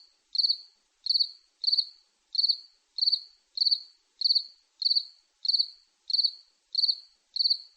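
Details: Steady cricket chirps, a dozen high buzzy pulses repeated roughly every 0.6 seconds with an even rhythm and nothing else audible.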